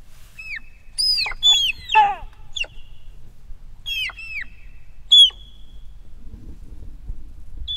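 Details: Dybowski's sika deer (Cervus nippon dybowskii) hinds give high, squeaky whistled calls that arch up and fall away in short bursts.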